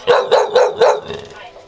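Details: Six-month-old male Bull Terrier, trained to bark on the command "get em", gives four sharp, loud barks about a quarter second apart, followed by fainter trailing barks, with a person urging it on just before and after.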